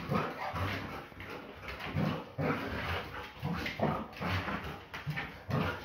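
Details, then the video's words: Belgian Malinois female dog during a play fight, giving rough, throaty growls and grumbles in irregular bursts about every second, with scuffling between them. "Malinois never backs down from a (play)fight!"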